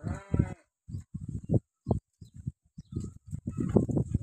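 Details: Beetal goat kids in Solapur district, India, kept for sale, give a short nasal bleat at the outset, followed by choppy low thumps and rustling, with a faint second bleat near the end.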